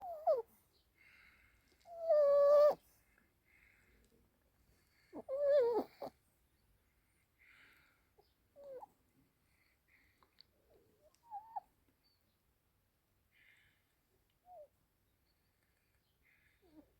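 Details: Alice, a sleeping Yorkshire Terrier puppy, talks in her sleep indoors: a series of short whimpering yelps, some rising and falling in pitch, with two louder drawn-out whines near the start and softer brief squeaks spaced through the quiet.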